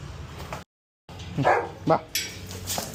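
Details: Golden Retriever at a grooming session in Kerala, giving two short yelping barks about half a second apart amid a handler's speech and brief background music.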